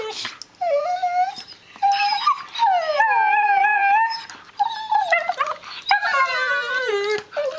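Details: Six-month-old Border Collie puppies, two siblings testing new teeth in rough play, "singing" while they bite: long wavering whines and howls that slide down in pitch, repeated in bursts with short gnashing pauses between.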